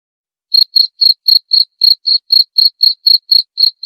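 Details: Cricket chirp played to chase rats away, starting after half a second of silence, then sharp high pulses repeated roughly four per second without background sounds.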